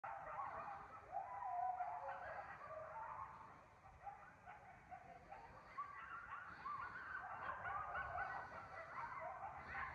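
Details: A pair of coyotes (Canis latrans), worked up by a rodent-distress call before the male broke cover, give wavering, overlapping howls broken by quick high yips and yelps.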